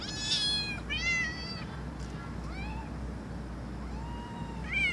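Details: Loud meows from a cat, several quick falling meows followed by a long, level, plaintive one, with a steady low background hum.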